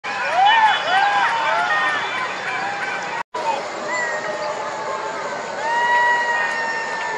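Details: Golden jackals calling at night, several voices overlapping in wavering, rising-and-falling wails with harmonics, some arched yelps early on, then longer drawn-out tones continuing through a constant background hiss.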